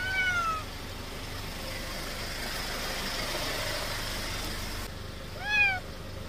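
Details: Sickly old feral domestic cat near a countryside house trails a departing person, begging for more treats. Two plaintive meows, one at the start and another about five seconds later, each sliding downward, over a constant vehicle-like hum.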